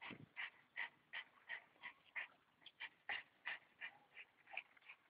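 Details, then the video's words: Staffordshire bull terrier in action, producing rapid, fairly regular short high yips, nearly three per second, over a low background rumble. "staffordshire bull terrier Buba in aktion"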